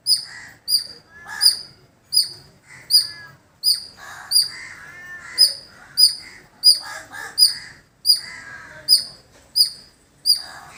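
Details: High-pitched squirrel chips repeated rapidly and fairly regularly, around sixteen notes, recorded in a village, with harsh, lower calls of other birds underneath.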